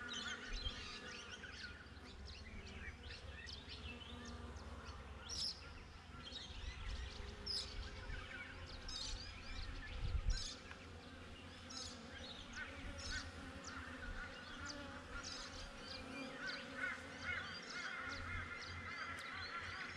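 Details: Continuous buzzing drone from honey bees outside their hive, GoPro recording, with low wind-like rumble and scattered sharp bird chirps throughout.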